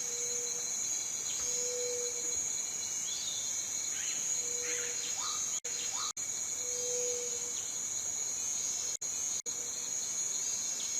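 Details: Shrill, sustained cicada buzz at constant pitch, with several short low hums, a few brief bird chirps in the middle and four abrupt silent dropouts in the second half.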